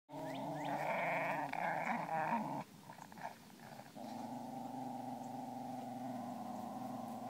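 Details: Two wire-haired fox terriers play together while a lab-hound mix looks on; a steady rumbling growl runs for over two seconds, breaks into a short rougher snarling pause, then resumes as an even, sustained growl to the end.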